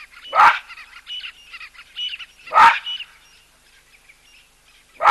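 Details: Loud baboon calls at a waterhole where a cheetah and an elephant drink: two harsh, explosive barks about two seconds apart, and a third starting at the end, over chattering birdsong.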